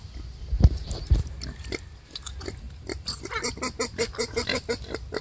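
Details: Wild boar sow struggling while giving birth: two heavy thumps, then a quick run of short, rough grunts pulsing several times a second through the second half.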